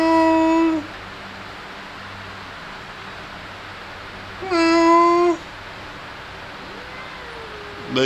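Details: Kitten meows during playing and feeding: one meow opening, then a pause of several seconds before a second clear, slightly falling meow, followed by a faint thin squeak and the start of another call.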